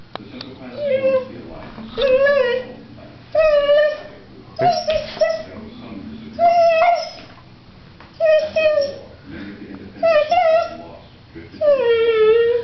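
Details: Female pet dog crying when she wants to play, licking her lips at the same time; a series of high, tonal whining cries, each bending and falling, repeated roughly every one to two seconds with short quiet gaps between.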